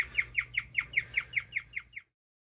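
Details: An old pet guinea pig chirps in a fast, bird-like series of high, slightly falling notes.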